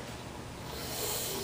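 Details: A baby American alligator at an environmental studies center in Mobile, Alabama hisses at people, a steady breathy hiss lasting about a second and a half that swells slightly toward the end, with faint rustling behind it.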